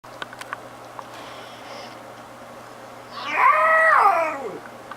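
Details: A young female domestic cat, kept since ten weeks old, makes a loud, funny drawn-out yawning cry that swoops up then slides down over about one and a half seconds, following soft clicks in a quiet room with a steady low hum.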